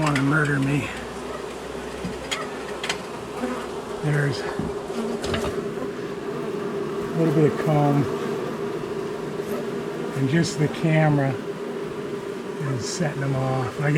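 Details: A long-established honey bee colony is being cut out of a house wall and has turned angry after dark. A dense, continuous droning hum carries throughout, with louder bursts as individual bees pass close to the microphone.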